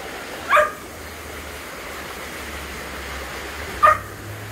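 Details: A Border Collie at a deep valley gives two short, high, bird-like chirping whines, as it does when demanding something, pleading to go along as its owner leaves and calls it to swim over.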